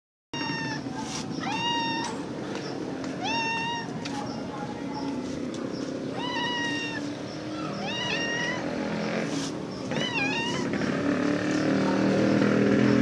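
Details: Black street cat meows repeatedly, each meow a clear, drawn-out, slightly rising and falling cry roughly every second or two. Steady traffic rumble underneath grows louder toward the end.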